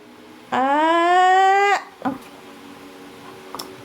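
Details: Pet dog throwing a tantrum indoors in a small room: one long, drawn-out tonal whine lasting just over a second, strong and steady with a slight upward rise, ending abruptly, then a few faint knocks and near silence.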